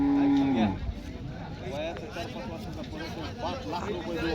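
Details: Cattle at a bull market in Parbhani, India, dated 12 March 2026: a single loud, level moo for about half a second that drops in pitch at its end, followed by busy market chatter and crowd noise.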